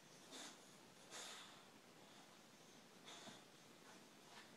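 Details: Boxer dog trying to get his favourite ball from the bottom of his toy basket; short breathy snorts and sniffs come in about four irregular bursts against a quiet background.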